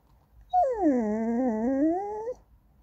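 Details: Goldendoodle puppy Andy whining for snacks or to be petted, one sustained sing-songy whine of nearly two seconds that starts high, dips, wavers and rises again at the end.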